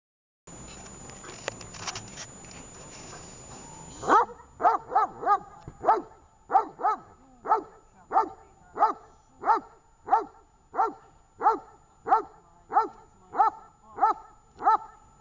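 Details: Dog named Tash barking during training session on 18 August 2019 in Horlivka; after about four seconds of rustling background noise, loud harmonic barks start and repeat steadily, roughly one every 0.6 seconds, continuing to the end.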